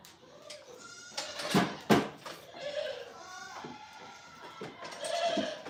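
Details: Farm goats giving short, rough bleats, two sharp loud cries close together early on, then softer quavering calls, with faint human talk in the background.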